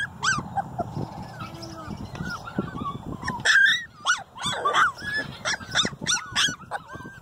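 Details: Female Siberian Husky puppy, out playing in the sunshine, vocalizing: a lively run of short, yodel-like whines and yelps that bend up and down in pitch, about a dozen in seven seconds, over a low rumbling background.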